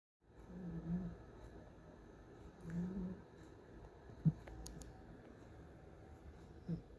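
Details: Domestic cat snoring in a quiet indoor room: low, rasping breaths swell and fade about two seconds apart, followed by a few short sharp clicks near the end.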